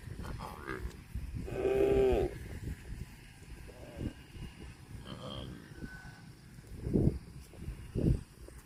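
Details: A cow gives one loud, drawn-out harmonic moo lasting under a second, followed by quieter low calls and short bursts; people talk throughout, with faint rural background noise.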